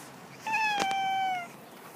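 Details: Jack, a pet cat excited to show around his new cat enclosure, gives one clear, steady meow about a second long, slightly falling at the end, with a brief knock partway through.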